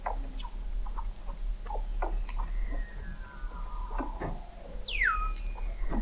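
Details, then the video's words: Weddell seals under sea ice in McMurdo Sound, Antarctica, captured in November 2017 by an observatory 21 m below the ice: faint clicks and chirps, a long gliding tone, then a sharp downward sweep near the end. "Song of the Antarctic Weddell Seal"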